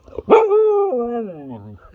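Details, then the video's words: Siberian Husky puppy trying to talk, prompted by a person repeating "hueso": a sharp onset into one long, tonal, moaning vocalization held steady, then stepping down in pitch twice and fading out after about a second and a half. "Husky cachorro intenta hablar"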